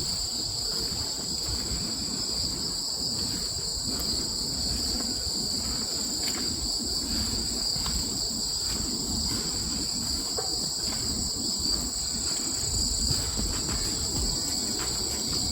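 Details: Autumn crickets: an unbroken, shrill, high-pitched trill holding steady in several layered tones throughout, over a constant low rumbling background noise.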